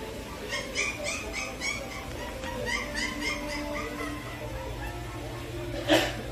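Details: Small black-and-tan short-haired Chihuahua puppy, indoors at a puppy shop in Gangseo, Seoul, South Korea, a little timid; a run of short, high, squeaky whimpering yips repeated several times a second, with a sharp louder cry near the end and low voices in the background.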